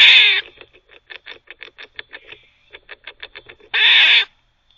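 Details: Squirrel barking while it teethes: a raspy bark opens, a row of sharp, evenly paced clicks follows, and a second noisy bark sounds near the end.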